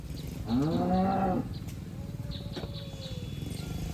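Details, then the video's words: Cows grazing in a green pasture, one letting out a short bellowing moo under a second long, followed by a faint thin tonal call, with background rumble and scattered high chirps. "Suara Sapi Moo"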